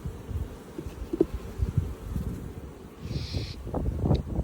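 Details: Honey bee swarm caught and being checked, with the queen found on a comb; persistent low droning hum overlaid by knocks and scrapes of frame handling and a short higher whine partway through.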